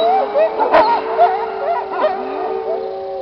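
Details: Wolves in a pack, an older recording of animals now deceased, howling together; several overlapping wavering tones with short yips and brief sliding notes, one sustained steady tone underneath, a faint sharp click near the start.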